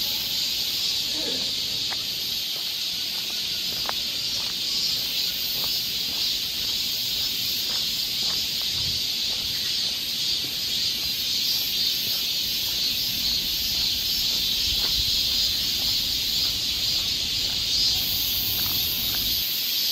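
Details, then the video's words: Long stretch of a summer cicada chorus on a Seoul forest trail in Korea: a dense, unwavering high-pitched buzz, with occasional faint clicks and a brief distant voice early on. "cicada sound"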